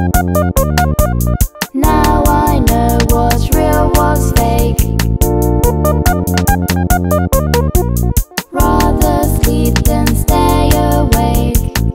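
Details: Loud keyboard and synthesizer music with a steady beat fills the whole stretch, with no animal voice heard.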